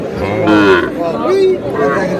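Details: Sahiwal bull calf at a Chattogram cattle market, Bangladesh, giving two short moos that rise and fall, with buyers talking and haggling close by.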